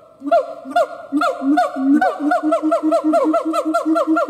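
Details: A siamang gibbon howling and performing: loud, rising hoots repeated in a series that speeds up and tightens into rapid, even barks, with no other clear sounds.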